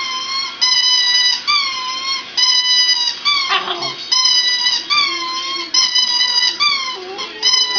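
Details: A two-year-old Border Terrier, a pet that has just learned to howl, gives a run of wavering, high howls indoors. Each note is drawn out and bends up and down, broken by brief pauses, with a cat nearby.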